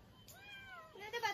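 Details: Kitten stuck up a tree after raiding a bird's nest, meowing after being pecked by a big bird: one clear, drawn-out harmonic meow falling slightly in pitch, then a rougher, higher cry at the end.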